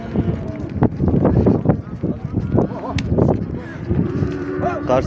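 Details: Cattle from a group of 65 calves bought in Kars and headed for a buyer in Mardin, Turkey; a few short harmonic moos rise out of busy clatter, shuffling and handling noise from a crowded herd.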